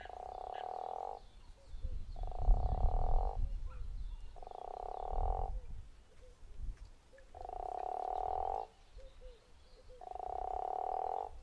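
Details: Guttural toad at Zeekoevlei giving five snoring, pulsed calls, each just over a second long and spaced about two seconds apart. Short chirps fall between the calls over a deep low rumble.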